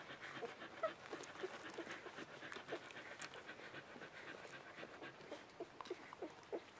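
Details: Puppies only three days old, the Mattie/Bodie litter, make short thin squeaks and brief whimpers over a bed of rapid soft clicks and breathy rustling noises.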